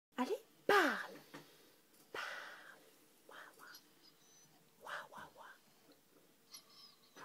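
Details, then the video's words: Jina, a six-month-old Finnish Lapphund puppy, taught to talk and imitate her owner indoors, gives soft breathy whisper-like huffs and brief whining sounds in short bursts, with a person's voice answering "wow" between them. "TEACH YOUR DOG TO TALK - PUPPY WHISPER"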